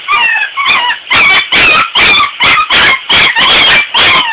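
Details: Puppies unhappy about being bathed cry in a rapid run of sharp, high yelping whimpers, about two each second, while running water splashes in the background.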